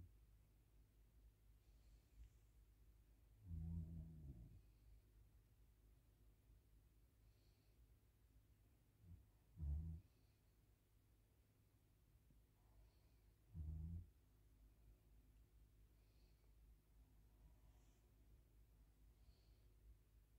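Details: Tired from a day of play at the dog park, Max the Great Pyrenees snores in his sleep. Soft, low rumbling breaths come roughly every four to six seconds against near silence.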